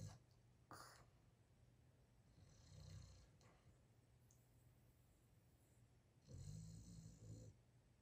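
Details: A tired, sleeping Boston terrier snores loudly in deep, rumbling breaths, with two long snorts standing out.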